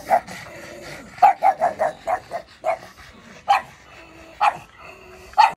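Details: Pug puppies meeting each other; high, clipped yips and barks come singly and in quick clusters of three or four, separated by brief pauses, with faint whining between.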